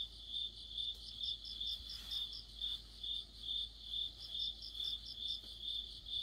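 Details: Crickets singing with other insects in autumn: a regular train of sharp, high-pitched chirps, about two each second, over a soft insect drone.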